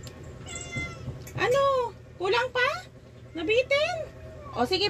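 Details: Rescued cats at feeding time give a quick series of loud, arching meows, some rising then falling, about five cries in five seconds, mixed with a woman's Tagalog speech over a low hum.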